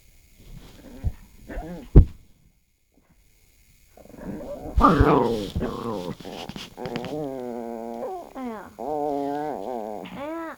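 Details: Strange noises from a household dog, one of two pets named Noranggi and Bori; after a few faint grunts and a thump, a noisy rustle leads into long wavering whines that rise and fall in pitch, with a possible human voice mixed in.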